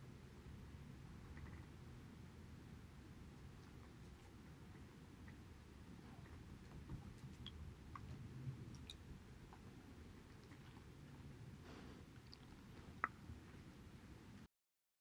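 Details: Male Border Collie Haedeun slurping pollack soup: faint continuous licking and moist chewing with scattered small clicks, one sharper tap near the end, over quiet indoor background hum.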